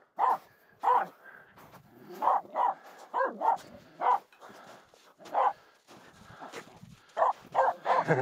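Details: Aamu the Finnish Spitz, a female, protesting two nearby reindeer on a snowy climb up Mulen; sharp single barks spaced roughly half a second to a second apart, wind and footsteps faintly behind.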